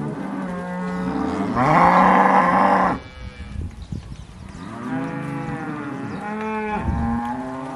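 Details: Cows filmed in October 2023 giving a loud moo that swells into a strained, harsher middle before stopping, then after a short quiet gap a second, softer moo with wavering pitch and a brief upward-bending tail.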